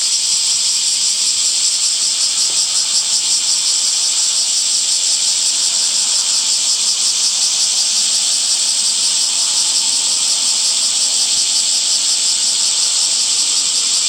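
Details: Summer cicada chorus: loud unbroken shrill buzz, high-pitched and even, with a subtle rapid throb running through it.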